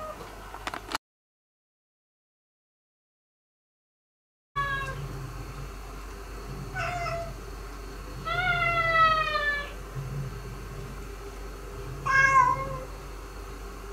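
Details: Former stray cat being trained as a house cat, kept indoors alongside resident cats; a few scattered meows, one longer drawn-out falling meow near the middle and a short bent one near the end, over a low pulsing hum.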